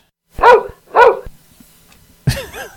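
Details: A female dog barks in the background during a beekeeping podcast recording, said to be dealing with vermin: two loud, sharp barks half a second apart, followed by a speaking voice.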